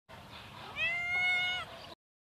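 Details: Tabby cat, female, meowing on seeing her owner: one drawn-out, high, clear meow with a rising start and level middle, lasting under a second, over faint background hiss.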